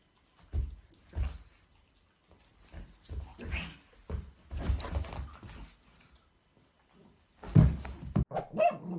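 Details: Pug throwing a fit indoors because he wants a French Bulldog's bone, stomping his paws in rage. Low grumbling growls and huffs come in uneven bursts, ending in a louder, sharper bark-like outburst with a higher whine.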